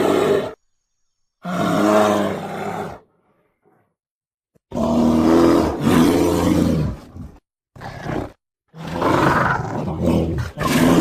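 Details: A black bear at a mini zoo in Pahalgam gives loud, harsh roaring groans in bursts of two or three seconds, with brief pauses between them.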